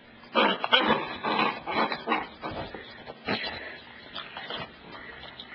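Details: Pet dog Cassidy, a female, near the couch while being told to bring the ball; a run of short, rough, grumbling vocal bursts packed closely together, then quieter scattered sounds.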